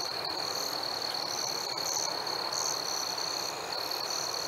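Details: Crickets chirping on a warm summer night: a steady, high, unbroken trill holds under irregular brighter chirps that flicker above it, a dense insect chorus with no other sounds.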